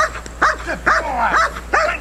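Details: Dog named Neros in KNPV-style protection training, learning an aggressive bark at a box: four sharp, harmonic barks spaced about half a second apart, each falling at the end, over a low steady hum.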